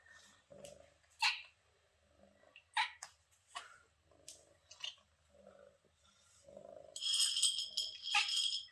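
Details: A young kitten met on vacation in Greece, shy at first and then trusting, makes short, sharp, beeping chirps at irregular intervals. Low murmuring sounds come between the chirps, and a burst of hissy rustling noise closes the recording.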